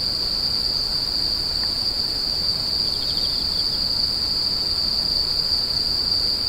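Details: Insects screeching in a steady, unbroken high-pitched ring that holds one tone throughout, with a faint brief burst of quick pulsed chirps just below it midway and soft low background hiss.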